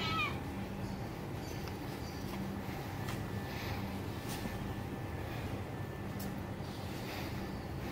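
A domestic cat lets out a brief, thin meow that slides downward in pitch, calling for its mother's touch. After it, only a steady low hum and rustling background noise remain.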